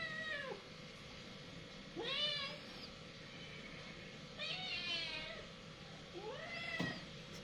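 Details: Cats fighting: four drawn-out, wavering yowls with rich harmonics, rising then falling, roughly every two seconds over steady low background hiss.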